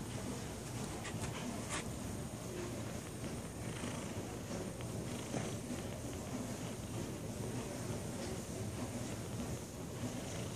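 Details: Sunny, a lazy tabby cat, purring: a steady, low, rumbling drone runs unbroken through the whole stretch, with a few faint clicks early on and a soft background hiss.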